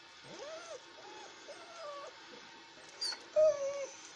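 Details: Alaskan Malamute puppies filmed on 9 February 2017, giving soft whining whimpers that rise and fall in short wavering phrases, then a louder brief squeal near the end.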